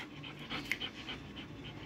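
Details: Dobermann dog panting during a training session, a quick run of soft breathy huffs about three to four per second, with a brief sharper click midway and faint background noise.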